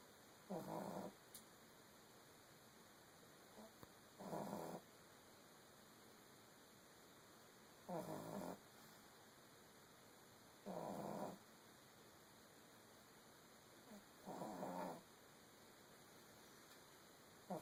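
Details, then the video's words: Female pug puppy snoring while asleep in the early hours, five rough, breathy snores about every three seconds, each lasting under a second, with a faint steady electrical whine in the background. "Pug roncando"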